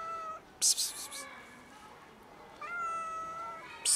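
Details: A domestic cat up in a tree gives drawn-out, steady meows broken by short bursts of hissing noise; a scared black kitten is also present.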